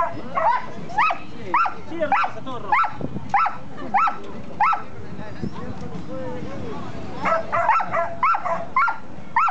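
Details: Female Border Collie Mayly barks while doing spins on the open ground at Tigre station. A fast run of crisp, evenly spaced barks, nearly two per second, pauses for people talking, then a second burst of barking resumes.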